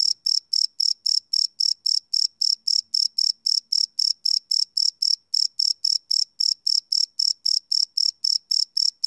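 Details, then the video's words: Night cricket chirps from a live field recording: a fast, steady train of high, bright pulses about four per second, with one brief hitch midway, otherwise quiet around them. "Cricket Chirp Sound - Cricket Sounds at Night"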